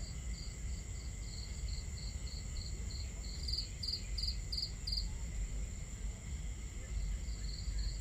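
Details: Crickets at night by a campfire under the stars, trilling in regular high-pitched pulses, with a brief louder cluster of chirps midway, all over a broad low wash of crackling fire and water sounds.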